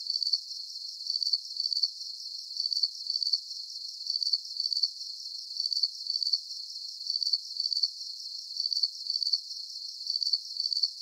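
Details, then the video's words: Crickets in a calming night soundscape: high, bright chirps in short clustered pulses, repeating steadily about twice a second with a faint shimmering hiss behind, no other sounds. "Calming Cricket Sounds"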